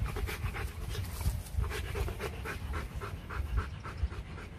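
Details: Rottweilers at a kennel in Vietnam, female from Hưng Yên paired with champion stud Loki; sustained rapid panting, regular breathy pulses repeating several times a second for over four seconds, over a low rumble.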